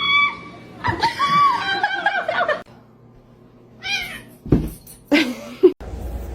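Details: Domestic cat being cleaned and expected to bite, giving several wavering meows and squeaky cries between stretches of human speech and handling noise.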